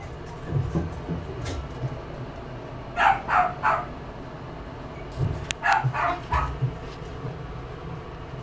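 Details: Miniature Schnauzer yapping in two quick bursts of three to four short, high barks over a steady low rumbling background.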